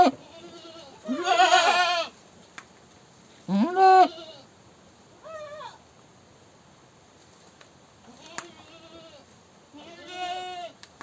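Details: Goat screaming: a series of irregular bleats, some loud and harsh, some short and faint, wavering in pitch, with a few clicks between calls.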